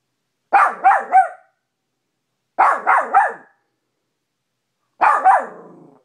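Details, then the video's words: A Maltipoo, a small pet dog indoors in a bedroom, barks at its own reflection in a mirror: three bursts of two to three sharp, high yapping barks, spaced about two seconds apart, nothing else audible. "maltipoo barking at mirror"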